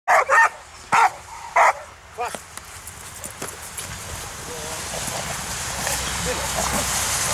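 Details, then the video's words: American Staffordshire Terrier barking during protection training on 10 February 2013: a few sharp barks in the first two seconds, then quieter short sounds fading into steady background noise. "American Staffordshire Terrier Шрек защита"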